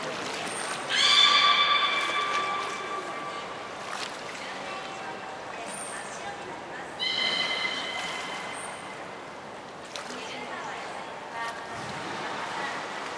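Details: Beluga Hodoi in training for stomach fluid sampling and blood draw at the Port of Nagoya Public Aquarium, 6 January 2019; two loud, nasal, harmonic squeals several seconds apart, with short high pure whistle tones and faint background bumps.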